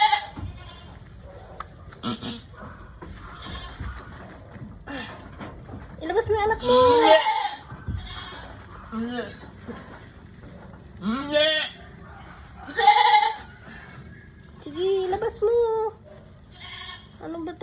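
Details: During a hard birth, a female goat repeats short, cracked, wavering bleats every couple of seconds, some rising, some falling, while a woman keeps coaxing her in Filipino to push the kid out.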